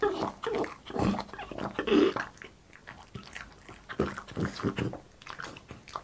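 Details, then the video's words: Boss, a French Bulldog, eating in an ASMR mukbang session indoors: wet bites and chewing crunches in uneven bursts, with soft snuffling grunts between mouthfuls in a small quiet room. "ASMR MUKBANG BOSS FRENCH BULLDOG EATING"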